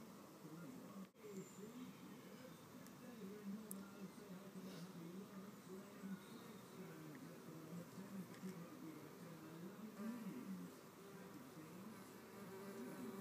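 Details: Red mason bees, solitary bees, fighting over a nest cavity with pushing, shoving and biting: a low, continuous wavering buzz with a fainter higher overtone, rising and falling in pitch throughout, over a quiet background hiss.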